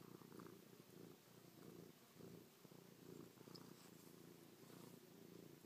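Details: Purring of Chloe, a pet cat being affectionate, kissing and pawing her owner's face; low vibrating rumble pulsing in clear swells roughly every second, alternating inhale and exhale.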